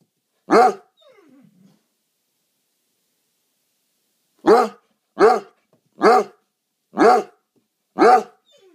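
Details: Basset Hound named Boris, a foster dog with New England Basset Hound Rescue, greeting in the morning: loud deep harmonic barks, one single bark then a pause, followed by five barks about once per second, with a faint whine between.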